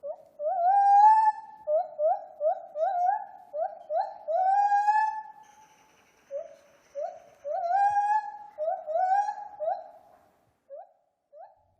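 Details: A gibbon at a free-roaming primate sanctuary sings a string of rising, whooping notes in quick bursts, vocalizing to mark territory, which gibbons do at certain times of day.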